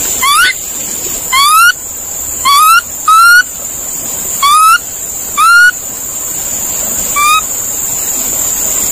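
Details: Series of brief rising whistled calls from a monkey, harmonically rich, repeated irregularly every second or so, with a steady high insect buzz throughout.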